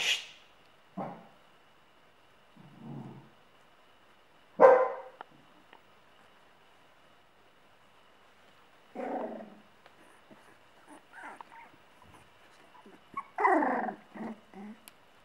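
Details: Sealyham terrier mother protecting her puppy, giving about six harsh, loud barks spaced irregularly over fifteen seconds, some single and some in quick pairs, with quiet pauses between them.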